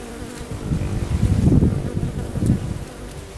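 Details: A honey bee at knotweed flowers at a home in Thailand buzzes loudly and close. It swells into a rough, deep drone for about a second, fades, then flares again briefly against a quieter hum of other bees.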